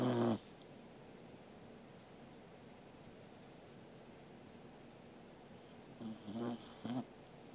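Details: Corgi Angela asleep indoors, 13 August 2021: the tail of one snore at the start, a long near-silent pause, then two short raspy snorting snores close together near the end.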